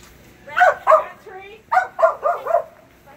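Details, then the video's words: Phenix, a Kerry Blue Terrier, on a Senior level first qualifying run in Barn Hunt on June 8, 2019: two quick barks, a softer low yelp, then four sharp barks in rapid succession. "Phenix, Kerry Blue Terrier, Senior level 1st qualifying run in Barnhunt. June 8, 2019"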